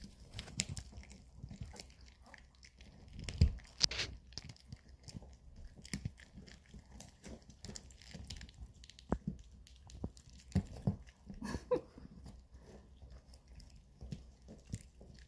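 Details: Indoors on a weekend, Bomi the Maltese and Coco the long-haired Chihuahua gnaw dog chews. Quiet, scattered crunches and tearing bites continue throughout, with a few louder cracks.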